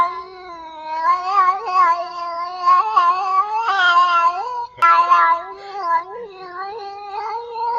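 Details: Domestic cat in heat producing a continuous, low, warbling caterwaul, its pitch wobbling up and down throughout, with a brief click near the middle.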